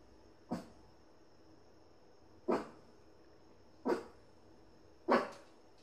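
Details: A Shih Tzu greets its owner returning home with short, sharp barks spaced a second or two apart.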